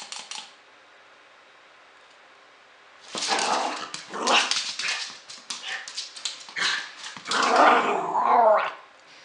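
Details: Puppy named Flossie at play: after a quiet start, a run of rough, growly bursts and short barks, ending in a higher, strained whining yelp.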